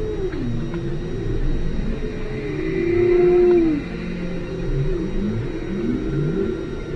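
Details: Whale calls recorded underwater at station ALOHA, 5 km deep: a loud, smooth low moan arcs up and then slides down near the middle. Fainter overlapping low swoops and sweeps keep up beneath it against steady deep-sea rumble.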